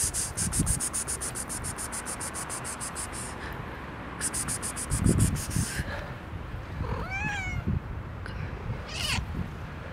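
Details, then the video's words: Hungry pet cats meowing for food: two or three short rising-falling mews near the end, over steady low household rumble and rapid ticking clicks at the start. "Cute cats meow from hunger"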